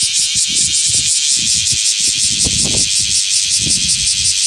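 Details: Male bear cicada singing beside its shed nymph skin in the morning in Osaka city during the July–August season. It gives a loud, dense, high rasping buzz that pulses about three times per second over low rumbling background noise.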